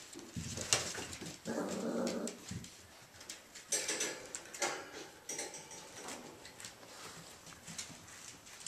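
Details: Three male Irish Jack Russell Terrier puppies named Mushroom, Portobello and Patty at play inside, giving rough low growls and snuffling whines among clattering scuffles and thumps.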